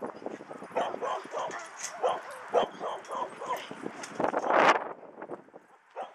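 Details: Dog park play with dogs giving repeated short barks and yips, one louder bark burst near the end, while people chatter nearby outdoors.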